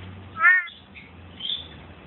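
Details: At night on February 17th, a male big-eyed tree frog calls with one short, nasal, buzzy note, followed by a fainter note, and keeps calling even under a phone light.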